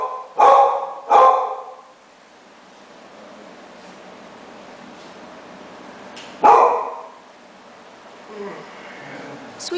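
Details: Two-legged Chihuahua-Dachshund mix, fitted with a cart, playing rough with a disabled pitbull while his sister joins in. Three harsh, short vocal bursts: two in quick succession near the start, one more after a long pause, then faint rustling.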